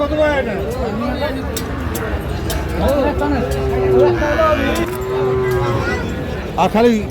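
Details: Sahiwal bull at a cattle market in Natore, 2 February 2025: drawn-out, steady low moos, one held for about two seconds mid-clip, rising above a busy crowd of men talking and bargaining.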